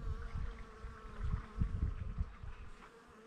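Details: A honey bee collecting nectar from camellia petals in Namhae, Korea, gives a steady, humming wing buzz, with low rumbling gusts of wind underneath.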